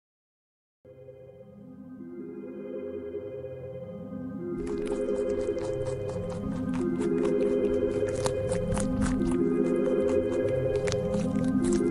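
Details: Layered electronic music with stepped synth tones and a steady beat; no animal sound is heard.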